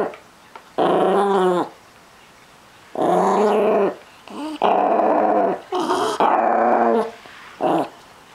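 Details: Chihuahua-Miniature Pinscher mix guarding his treats with a run of separate growls, each lasting about a second, wavering in pitch and separated by brief silences.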